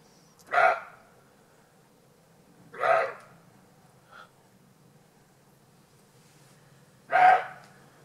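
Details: Roe deer filmed in Alsace, France, giving three hoarse, gruff barks spaced two to four seconds apart, with a faint, muffled bark between the second and third, against a quiet background.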